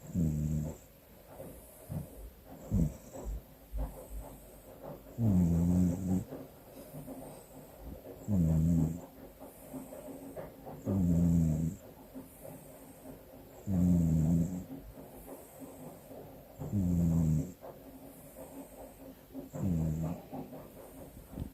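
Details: Domestic cat asleep with its eyes open and snoring. Deep, throaty, rumbling snores come roughly every three seconds, each a loud grating breath, with quieter breathing in between.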